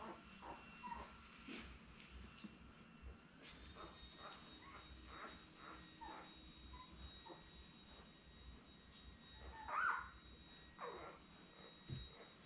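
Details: Newborn Labrador Retriever puppies, seven born May 24, 2021, with their mother Belle on an indoor puppy cam on 30 May, settling for an afternoon nap; faint scattered squeaks and whimpers over a steady background hum.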